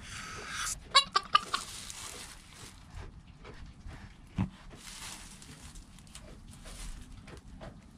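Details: Joel, a goat kid less than an hour old, with mother Penny close by: a quick run of three or four thin, wavering bleats early on, then quieter knocks and shuffling against background hiss, captured on a GoPro.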